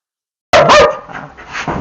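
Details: An 8-year-old Dachshund with aggressive behaviour and a bite history, recorded during real-life training: a single loud, harsh bark bursts out after half a second of silence, then trails off into quieter rough noise.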